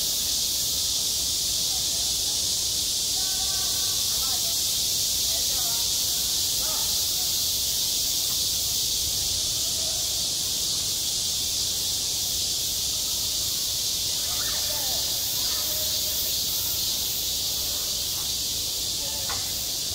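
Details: Cicada chorus at a school playground in midsummer: a sustained, slightly pulsing high buzz lasting the whole twenty seconds, with faint distant voices now and then.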